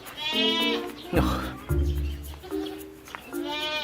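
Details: A goat at an organic farm in Thoeng, Chiang Rai, Thailand, near a sheep pen, gives several wavering, nasal bleats, with a man's voice speaking in between.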